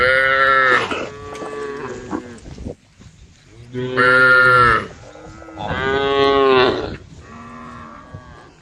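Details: Cattle roaming on a street give several long, harmonic moos, each lasting about a second, with brief pauses between.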